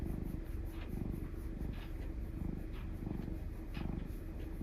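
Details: Affectionate black cat, a male black mix named Mugi, kept indoors in Japan, purring in a steady low rumble with evenly pulsed breaths, punctuated by a few soft higher clicks and small room noise.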